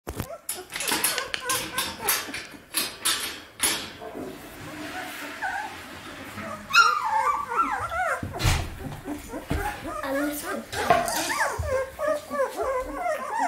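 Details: Samoyed puppies, 17 days old, from a litter, giving a chorus of short high squeaks and whines in the second half after knocking and handling noises, with a person speaking German.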